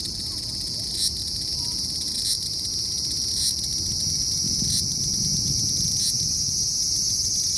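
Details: Large brown cicada (aburazemi) in Aoba Park, Japan, on 19 July 2019, finally singing in a year with few calls heard: a steady, high, sizzling buzz like oil frying, with brief catches every second or so.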